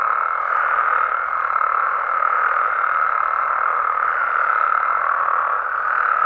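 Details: Wild Mexican frogs and toads at night, producing a constant dense chorus; countless croaking voices blend into a steady buzzing drone with slight rises in loudness.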